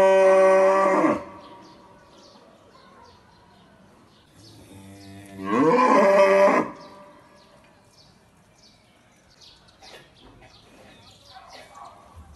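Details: A black cow gives two loud, drawn-out moos, each rich and harmonic with a bending pitch.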